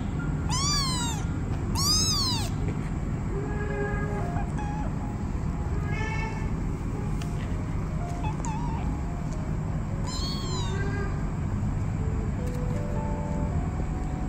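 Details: Kittens meowing to find their mother cat so they can nurse: clear, arching high meows in pairs near the start and again around ten seconds, with softer squeaks between, over a steady low rumbling background.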